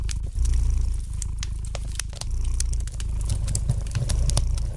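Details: Relaxed domestic cat purring, deep buzzing rumble in short breath-linked swells, accompanied by crisp crackling and popping from a fire in the fireplace.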